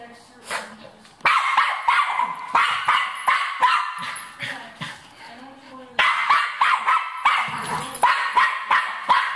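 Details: Cairn Terrier confronting a rat: clusters of high-pitched, yappy barks in fast succession, a brief lull in the middle, then a renewed volley, with speech faintly heard between bursts.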